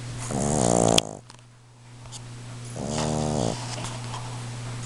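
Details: Russ, a Boston Terrier, snores very loud in his sleep: two rasping, rattling snore bursts about two seconds apart, with a sharp click between them and a constant low background hum indoors.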